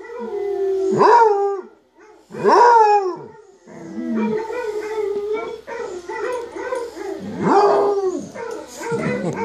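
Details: Basset hound kept as a pet howls along to recordings of howling basset hounds: two sharp rising-falling yowls, then a long run of overlapping wavering howls, with a woman speaking softly near the end.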